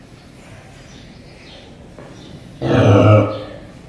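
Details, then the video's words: Sleeping pig at Paradise Wildlife Park: one loud, low, rattling snore rises about two-thirds of the way through and fades after under a second, following quiet background hiss. "Snoring Pig"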